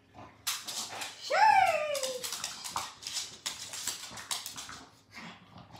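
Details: Pug playing tug of war with socks, giving one loud, drawn-out whine that rises then falls, followed by continued scuffling, tugging and rustling sounds of play indoors.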